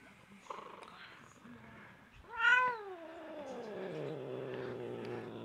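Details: Pet cat, excited and rolling around indoors, gives one long meow that starts high and slides steadily downward into a low, drawn-out growly tail, after soft background noise and a few faint brief squeaks.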